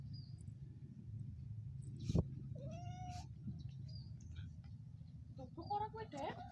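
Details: Cat meowing: a drawn-out rising then level meow, followed by shorter broken meows toward the end, over a low steady hum and a brief sharp click.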